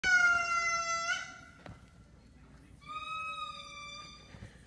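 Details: Lemurs sing in two long, steady, reedy wails, each held for over a second, while dogs listen.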